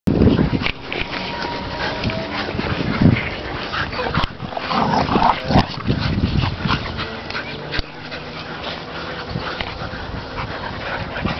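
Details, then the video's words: Three dogs playing together, an 8-year-old male Staffordshire, an 8-month-old male bull terrier and a 2-year-old female bull terrier: scuffling, rough growls and huffing breaths in irregular bursts, with brief whines and thuds. "Dogs playing bullterriers and Stafford"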